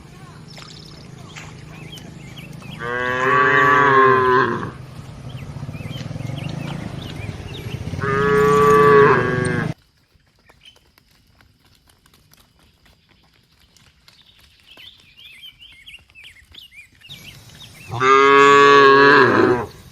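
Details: Crowd of tame cattle walking to their barn: two full, loud moos close together, a sudden silence, then another strong moo near the end; faint birdsong between.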